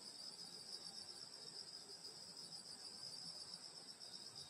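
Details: Rural summer night at a grandmother's house, grass insects trilling: a continuous bright, high, buzzy drone layered in two pitches, steady in loudness, over a faint low background hiss.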